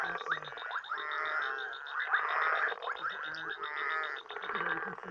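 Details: Frogs and toads calling at night in Uganda, a thick chorus of rattling, grating croaks in repeated bursts, with a faint high pulsing trill above.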